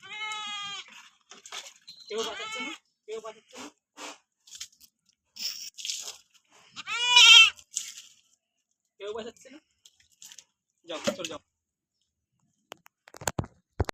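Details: Goat being bathed while a person talks: several brief, nasal, quavering bleats, one louder wavering cry midway, mixed with speech, splashing hiss and sharp clicks at the end.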